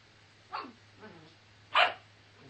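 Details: Two-month-old Bernese Mountain Dog puppy giving a short faint yelp, a softer sound, then a louder sharp bark near the end, over a low steady hum.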